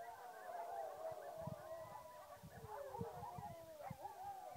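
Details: Coyotes and dogs howl together at the moon at night in a chorus of overlapping, wavering tones.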